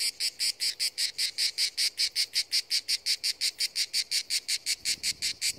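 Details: [5, 'Cicada song at the seashore: shrill, regular buzzing pulses in a fast, unbroken rhythm, clean and dominant over a quiet background.']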